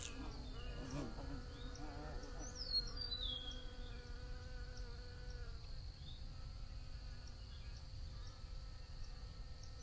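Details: Bees buzzing in a steady, droning hum with several wavering tones layered together, joined by a few high descending bird chirps and a constant low rumble underneath.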